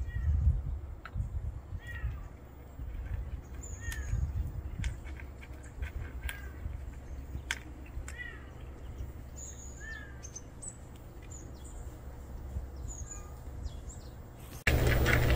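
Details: Newly appeared unfamiliar male cat making faint, short, high meows repeated at irregular intervals, nearly buried under low rumbling background noise and scattered clicks, with a sudden loud burst of noise at the end.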